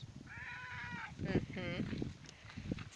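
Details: Male pet cat in a garden, unhappy at being left behind and out looking for its owner: a drawn-out, slightly arched tonal meow, then a shorter falling meow, over a person talking in Polish and rustling footsteps.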